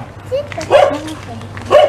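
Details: Fierce dog in Indonesia barking at passers-by during a morning walk; two short, harsh barks about a second apart, with faint human voices and a low steady hum underneath.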